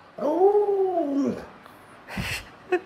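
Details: Indoors by a sick owner's bed, Alaskan Malamute Luoluo gives a short arched howl, rising then falling over about a second, followed by a soft rustle and a small knock.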